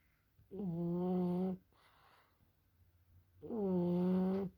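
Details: Sleeping French Bulldog snoring: two drawn-out, nasal, humming snores of about a second each, separated by a soft breathy pause.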